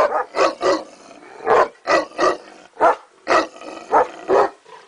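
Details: Neapolitan Mastiff giving a steady series of about eleven harsh, rough barks over five seconds, often paired, with short pauses between them.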